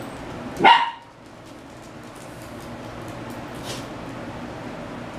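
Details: Male Pomeranian mix on a trial day at a dog daycare: one short, sharp bark near the start, then only quiet room noise with a faint distant sound later.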